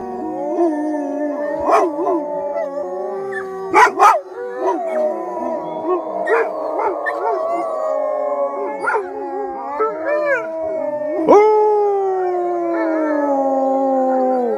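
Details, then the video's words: Pack of eight captive wolves in British Columbia, Canada, led by a 13-year-old alpha named Anula, howling together with their owner: layered sustained tones sliding up and down, overlapping voices, with short yips and sharp barks around four seconds. "Howling with my wolves in B.C. Canada"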